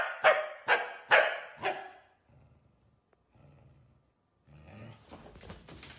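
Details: Corgi barking four times in quick succession, sharp evenly spaced barks about half a second apart, followed by quiet low rumbling and then a burst of broadband noise.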